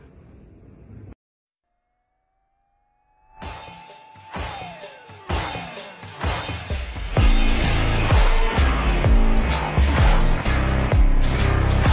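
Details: A brief hiss gives way to silence, then a sliding synthetic tone leads into loud, driving music with heavy, regular beats.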